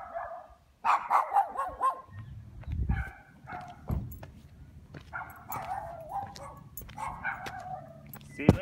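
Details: Chained neighbourhood dogs at a dog house bark repeatedly, rough mid-pitched barks in bunches of two or three, with low thumping and handling noise in between and quieter stretches.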